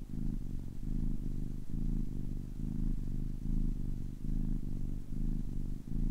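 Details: Low, vibrating purr from a 10-week-old kitten, rising and easing with each breath in clear half-second bursts, sustained and close-miked in a silent room.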